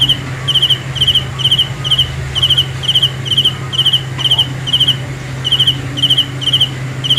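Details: A cricket calls at night with a train of short, bright pulsed chirps, evenly spaced and repeating about every half second, a low droning hum underneath.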